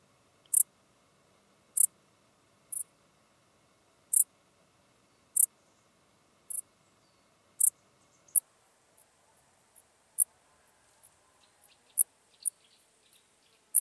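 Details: Common dark bush-cricket (Pholidoptera griseoaptera) in Tuttlingen, Germany, on 8 October 2022. Short, very high, scratchy chirps come about once a second, then faster and quieter toward the end, over a near-silent background.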